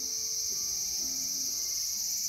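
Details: Cicada calling in a small garden on August 5, 2020: a steady, unbroken high-pitched shrill buzz with two bright bands, holding an even loudness throughout with no other clear sounds.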